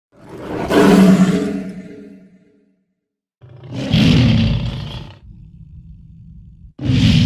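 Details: Lion roaring: a long, deep, harmonic roar swelling and fading over two seconds, then after a pause a rougher, noisier roar and a low rumbling tail, with another loud burst at the end; edited compilation with abrupt cuts.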